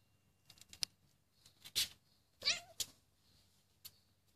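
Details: A cat meows in short bursts, one wavering, bending cry standing out among brief clicks and rustles in a quiet room.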